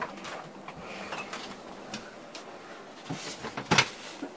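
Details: Soft indoor clatter of drawers or doors and scattered knocks, with one sharp click near the end, and no animal voice heard.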